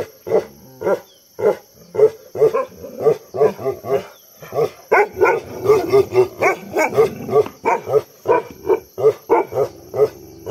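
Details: Bhotia dog named Dabu giving heavy barking: deep, rough barks repeated in a steady run of roughly two per second with brief gaps, some barks doubled, a faint steady tone in the background.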